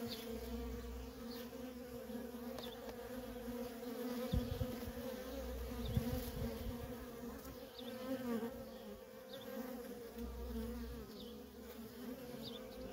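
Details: Busy traffic of worker honey bees around their feral nest; constant layered buzzing with louder passes of single bees swelling and fading over the steady drone.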